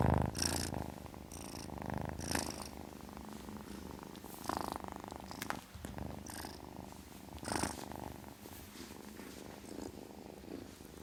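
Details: Kitten purring steadily, a low pulsing rumble that swells and fades with each breath, with several louder breathy surges across about eleven seconds in a quiet indoor setting.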